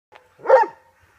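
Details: Giant Schnauzer jumping into a car boot gives a single short bark, a rough mid-pitched burst with layered tones, clean and isolated against a quiet background.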